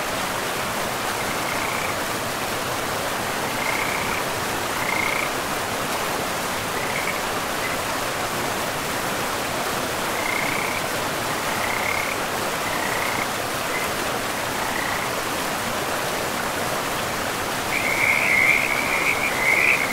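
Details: Frogs calling beside a river deep in a pristine forest with moss-covered ground; short rattling chirps come in scattered bursts, thickening into a busier chorus near the end, over a constant broadband rush of flowing water.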